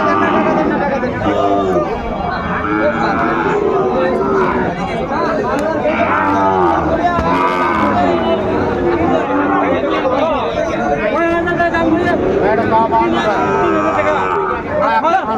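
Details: Sahiwal bulls at a crowded cattle market in Dhaka, Bangladesh, on 14 February 2025; drawn-out harmonic moos rise and fall throughout amid constant human chatter and crowd noise.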